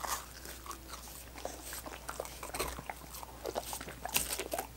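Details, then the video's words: Dogs at coconut water popsicles, licking with loud wet smacks and occasional crunchy bites of ice, sharper bursts near the end, over a faint low hum. "Dogs Licking Coconut Water Popsicles"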